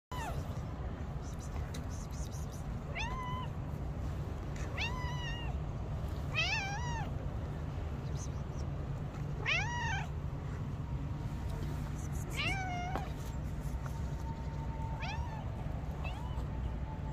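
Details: Street cats meowing outdoors: a series of clear, rising-then-falling meows spaced every two to three seconds over a steady low rumble of background noise.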